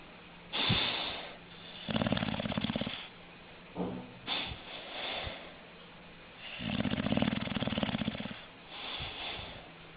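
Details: Snoring English bulldog: rough, buzzy snores of about a second alternate with snorts and softer breaths, uneven rhythm, two strongest snores near the start and toward the end.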